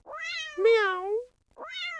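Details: House cat meowing at 6 a.m. to wake its owner and get fed, a kitten call kept by adult cats for human attention; two drawn-out, harmonic meows, the first rising then falling and lasting over a second, followed by a shorter one.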